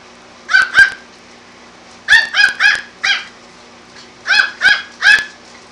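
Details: Yorkshire Terrier puppy harassing a calico cat indoors, giving short high yapping barks in clusters of two or three, each sharp and bright, with quiet pauses between bursts.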